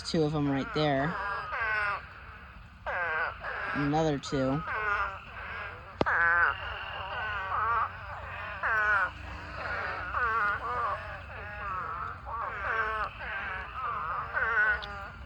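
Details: Spadefoot toads swarming to mate in a crowded pond produce a continuous chorus of wobbling, bleating wails, some louder calls standing out near the start against a softer background of many distant callers.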